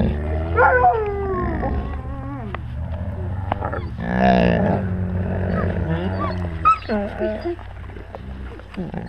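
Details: Several wolves within the pack, recorded by a GoPro at wolf level; overlapping wavering whines and yelps over continuous low growling, a loud noisy snarl midway, then scattered short rising squeaks and whimpers.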